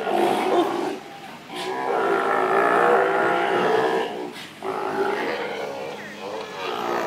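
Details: A male sea lion at Vancouver Aquarium sings, giving long, rough, harmonic moans that rise and fall in a drawn-out, song-like sequence.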